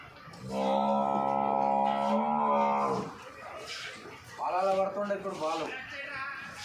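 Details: Water buffalo of a local native breed, kept by farmers and offered for sale, gives a long, flat, harmonic bellow of about two and a half seconds, then a shorter second call. Human voices and background noise are also heard.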